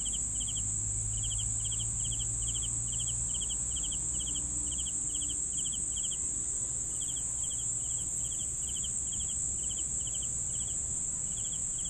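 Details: Crickets chirping for sleep: short pulsed chirps repeated about three times a second, with a steady high continuous trill from other insects above and a low rumble beneath.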